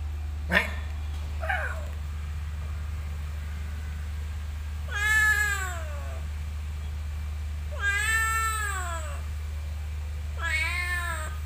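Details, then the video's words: Cat in a motorbike parking lot: a brief click and faint chirp, then three strong meows that rise and fall, about three seconds apart, over a low continuous hum. "Suara Kucing di Parkiran Motor"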